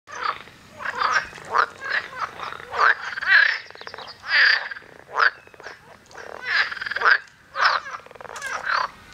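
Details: Several male toads call in a lake in Fulda, giving brief grating, pulsed croaks in overlapping bursts about every second, calls tied to territorial behaviour and rivalry between males.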